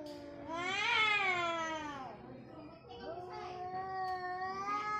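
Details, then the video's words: Orange cat facing off against a white cat in a fight: long wavering yowls rising then falling over about two seconds, followed by a steadier drawn-out growling wail, with a man speaking Indonesian nearby. "kucing Oren vs putih"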